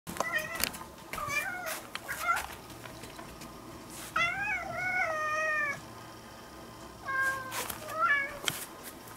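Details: Cat meows from an indoor session where a formerly stray kitten, cared for over four years and now nearly a house cat, is played recorded cat voices; several drawn-out, wavering meows, some rising then falling, with brief clicks and low room hum.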